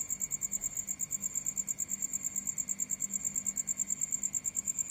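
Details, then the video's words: Crickets at night: a continuous high, thin chirping held at one steady pitch, beating in rapid, fairly even pulses about seven times a second, with a fainter higher overtone and a soft low hum underneath. "The sound of animals at night crickets"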